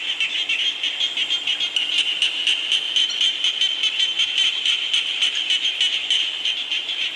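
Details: A steady rain shower carries a loud chorus of frogs, shrill buzzing croaks pulsing rapidly and overlapping continuously throughout.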